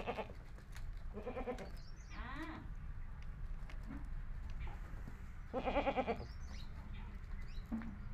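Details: Himachali goat kids call repeatedly: quavering bleats, one rising in pitch, followed by a longer, louder wavering bleat and a final short cry, over a steady low rumbling background.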